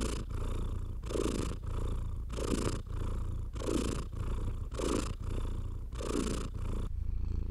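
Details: House cat being stroked and purring steadily. A soft, deep vibrating rumble carries rhythmic breathy surges and brushing sounds, repeating roughly once a second before easing at the end.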